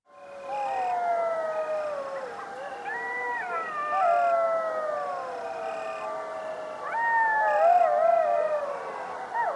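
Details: Coyote pack howling, many voices overlapping in a dense chorus of sliding, wavering howls that rise and fall at different pitches, swelling louder toward the end.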